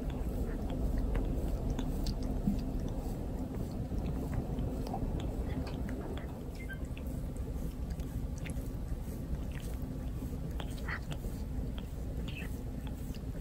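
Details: Pet cat Torapachi, indoors, grooming a person in the family after a fireworks festival. Dense, rapid rasping licks and wet smacks, about three per second, uneven and scratchy like sandpaper on skin, with a low room rumble beneath.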